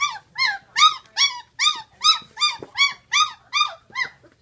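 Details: Sixteen-day-old Great Dane puppies crying in a steady run of loud arched whines, about two or three each second, each rising then falling, with a low background hum.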